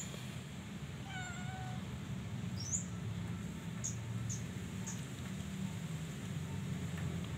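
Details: Pet Persian cat, a new mother of kittens born that morning, giving one short, level meow, followed by faint scattered clicks and a steady low hum.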